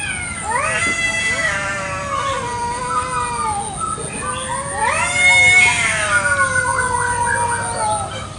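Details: Village cats fighting over territory in a garden, a village chicken nearby; overlapping wailing yowls bend up and down, with a loud shrill swell midway.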